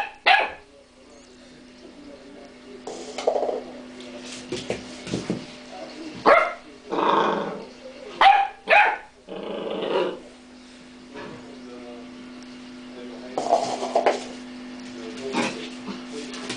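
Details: Pet dog barking and growling, outdone by a cream pot, with short harsh barks in irregular bursts separated by pauses and a steady low hum underneath.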